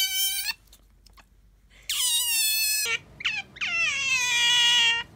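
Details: Pet otters Bingo and Sakura compared for noisiness, giving loud high whistled squeals with rich harmonics: a short cry, a pause, then a long sustained squeal, a couple of brief chirps and another drawn-out whistle, indoors.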